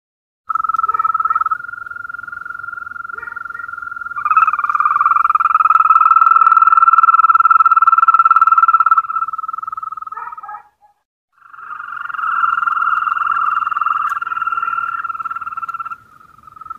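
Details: European green toad. European green toads produce sustained, melodious trills at a steady mid pitch, each running several seconds before a brief pause. At times two toads trill together, their voices overlapping at slightly different pitches.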